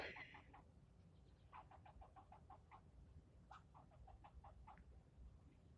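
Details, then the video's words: Angry squirrel scolding someone nearby during a long bout of yelling; rapid strings of short, even barks follow one another in two runs of about eight, fainter and set against a low background rumble. "Getting yelled at by a squirrel"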